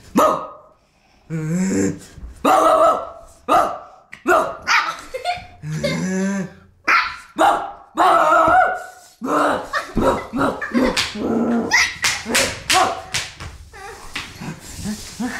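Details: Playful Pomeranian puppy at home with its toys, a rapid, dense run of yappy barks and higher whining yips, some with a tonal, squeaky edge, coming faster toward the end.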